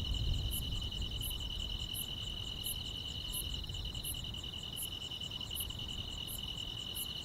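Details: Grass insects on a summer night: a steady, shrill, unbroken trill with bright, very high ticks repeating roughly every 0.7 seconds, over a soft low rumble.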